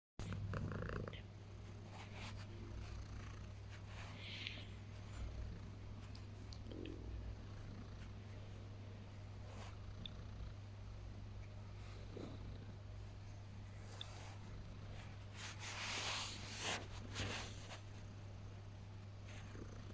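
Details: Domestic cat purring during early morning cuddles on waking: a steady, low, rumbling purr runs through the whole stretch, with soft rustling and a few louder scuffling bursts toward the end.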